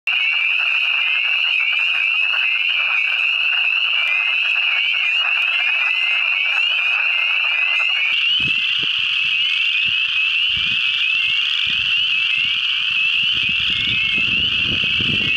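Spring peepers call in a thick chorus, each frog giving short, high, upslurred peeps repeated rapidly. The overlapping voices merge into a steady shrill ringing, with a few low thumps in the background.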